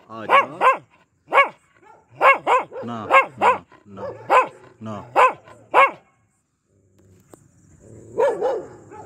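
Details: Pomeranian dog barking aggressively: sharp high barks in quick pairs and short bursts, with a few whining yelps between, then a pause and softer barks near the end.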